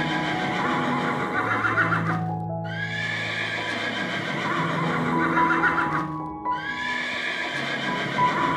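A horse gives two loud, shaky whinnies, each sliding down in pitch and trailing off, about four seconds apart, over steady background music.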